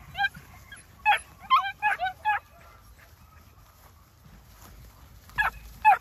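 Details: New Zealand Huntaway puppies giving short, rising and falling yelps and whines in a quick cluster, then a pause and two more yelps, over a low background rumble.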